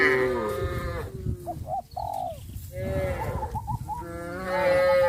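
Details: Cows on their way to green grass fields, heard in rich, continuous lowing that swells and fades, with short cooing-like notes mixed in during quieter moments.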